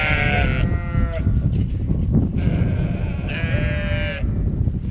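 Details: Two young lambs, rejected by their mother and now fed by a sheepdog mother with puppies on a sheep farm, bleat in loud harmonic cries near the start, middle and end, over steady low rumbling background noise.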